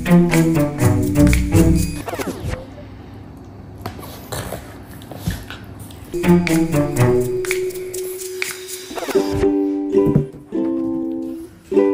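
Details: Plucked and bowed string music with a deep double bass line plays in bursts and pauses, with faint speech and no animal voices.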